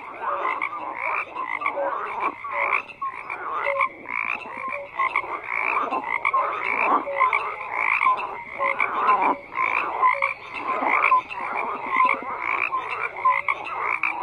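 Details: A steady frog chorus of rough, quickly repeated croaks from many callers at once, with brief tonal chirps recurring every second or two throughout.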